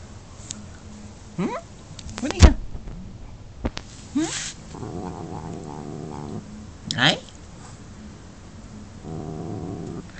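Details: A person talks and calls to Mee Mee, a growing Norwegian Forest Cat defending a dragonfly she caught outdoors; between the words come two separate low, rasping growls, each lasting one to two seconds, plus a few sharp knocks.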